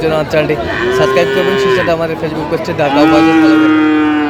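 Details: Two long, level moos, the second lower and held to the end, from Friesian or crossbred bull calves at Raniganj market, Dinajpur, Bangladesh, on 15 January 2025; faint murmur of the crowd behind.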